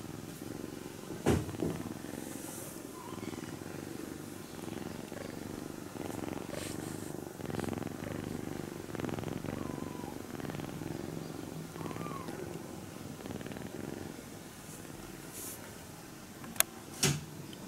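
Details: Kitten purring while napping and being stroked gently so it does not wake; a steady low rumbling purr runs throughout, with soft rustling of fur and handling and a couple of sharp clicks near the end.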